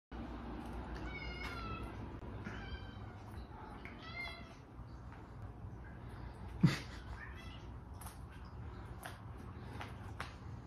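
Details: Female cat meowing for food indoors: three or four short, bright, nasal meows in the first half, a sharp knock midway, then faint scattered sounds over a steady low hum.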